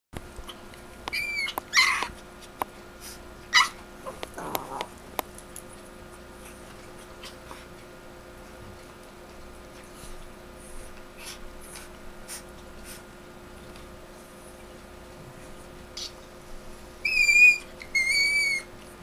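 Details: Chihuahua named Chino screeching, recorded September 10, 2007 indoors: a few thin, high, wavering squeals scattered early on, long quiet stretches with faint clicks, then two louder repeated high screeches near the end.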